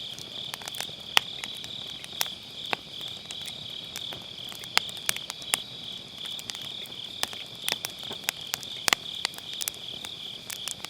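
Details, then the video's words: Grass insects calling on an autumn night by a round fire pit, MKE600 microphone with low-cut: an unbroken shrill, ringing insect chorus underlies frequent irregular firewood crackles and sharp pops across the whole stretch. "가을밤 풀벌레 소리"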